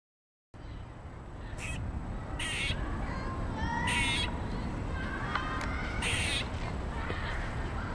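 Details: Angry squirrel, unhappy at being filmed, gives harsh, raspy bursts about half a second long, irregularly spaced, some doubled, over a steady low rumble of background noise.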